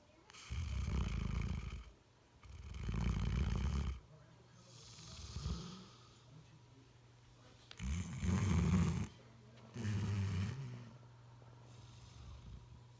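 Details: A Bloodhound napping on a couch snores in deep, rumbling bursts, each breath a low rattling rasp lasting a second or two.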